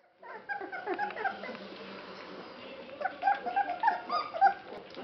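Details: Basset Hound puppies, 21 days old, from a Polish kennel litter born September 2011, calling at feeding time indoors; overlapping short whines and squeaks, sparse at first, then denser high yelps toward the end.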